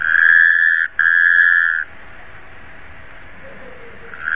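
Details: A Taipei tree frog voices two sustained, even-pitched notes in quick succession, then falls quiet, with a faint low murmur and a new note starting at the very end.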